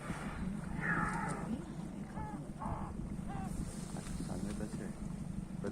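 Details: A whale in Antarctica, surfacing only a little, gives short, mooing, tonal calls over a steady rush of wind and water.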